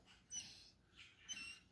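A Basset Hound gives thin, high whines in short, breathy bursts while begging for food.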